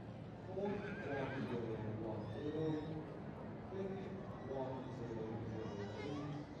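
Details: Welsh Cobs, a mare and her foal, give lower, pulsing neighs in short stuttering bursts, repeated through the stretch, mixed with background human chatter outdoors.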